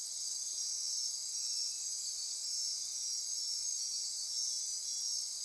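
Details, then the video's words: Midnight insects of the Osa Peninsula rainforest, Costa Rica, near Corcovado National Park, form a steady high-pitched wall of trills and buzzes, with faint shimmering pulses on top and an even, unbroken level throughout. "Midnight Insect Chorus"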